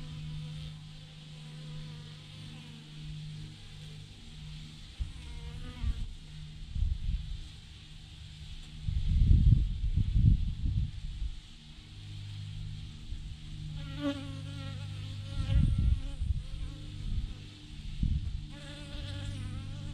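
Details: Massive clump of thousands of honey bees on a branch: a continuous low drone, overlaid now and then by single bees flying past with wavering whines, plus loud bursts of wind-like rumble.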